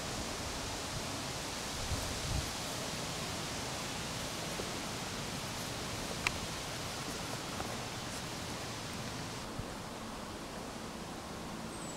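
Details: Steady broadband outdoor hiss with faint rustling and one brief click, and no animal voice.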